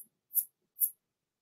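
A katydid gives brief, fuzzy, very high tsip notes, about half a second apart.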